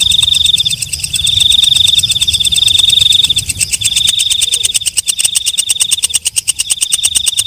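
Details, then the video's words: Walang kecek, a night grasshopper, calling after dark: a continuous high, shrill buzz for about three seconds, then a fast series of dry, sharp ticks, roughly four per second, over a steady high whine. "Suara Walang Kecek/ Belalang Malam"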